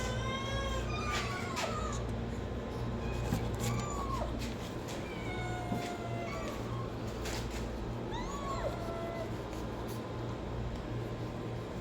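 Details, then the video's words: Kittens and cats meowing in a compilation, several arched and falling meows at irregular intervals, some drawn out and others short, over a steady low electrical hum and faint background noise. "5 kitten and cats meowing sound effect compilation| cat meowing to attract cats"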